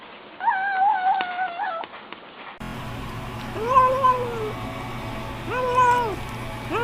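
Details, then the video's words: House cat vocalizing while eating: a steady held mew at first, then after a cut, two rounded arching murmurs with strong harmonics over a low constant hum. "Cats saying "Nom Nom Nom" while eating compilation"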